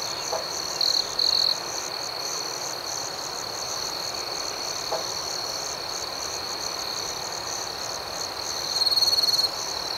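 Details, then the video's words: Night crickets chirp in a high, rhythmic chorus of pulses roughly four per second over a steady ringing tone, with a couple of short louder trill bursts early and a rattling burst near the end. "Soothing Cricket Sounds"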